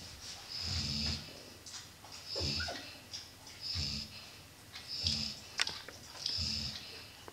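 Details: Ronja, a Golden Retriever mother lying with her puppies, snores steadily: hissing, wheezy inhalations with a deep throaty undertone, about five breaths in seven seconds, a faint click or creak between them.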